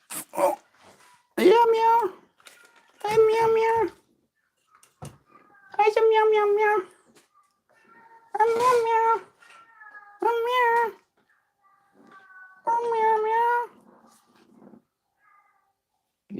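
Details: A pet cat indoors meows while being called and offered food, possibly losing its mind: six drawn-out, steady, tonal meows roughly every two seconds, with a man's voice and soft room noise between them.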